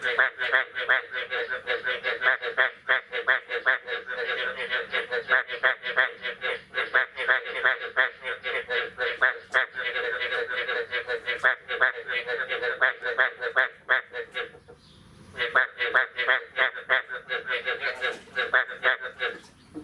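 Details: Frogs calling on the morning of 9 May 2022, after the first rain of the year: a dense, steady chorus of rapid, nasal pulsed croaks, about three per second, with a brief pause near the end.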